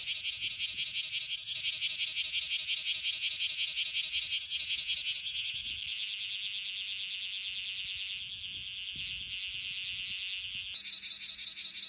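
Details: Kumazemi, the bear cicada Cryptotympana facialis, singing energetically up close in Okinawa: a harsh, high-pitched pulsed buzz repeated nearly three times per second, steady and loud, briefly dipping near the end before resuming.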